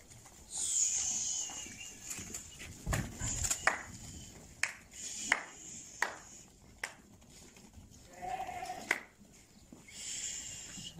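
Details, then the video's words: Lambs offered for sale in Settat province, Morocco, bleating in high, wavering, drawn-out cries, the loudest near the start and another lower bleat toward the end, amid sharp knocks, clatter and men talking nearby. "خرفان زوينين"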